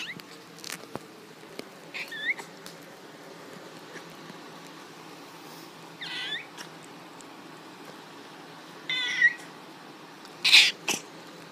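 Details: Pet cat that squeaks instead of meowing, giving short high squeaky calls near 2, 6, 9 and 10.5 seconds, each under half a second, some with a bent rising-falling shape, in a quiet indoor room with faint clicks.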